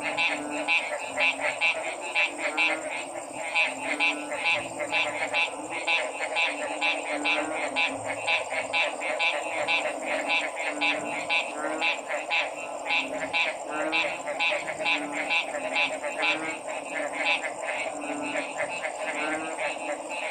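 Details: Dense frog chorus meant as therapeutic listening: many overlapping raspy croaks pulsing rapidly throughout, with a steady high-pitched hum and continuous background noise.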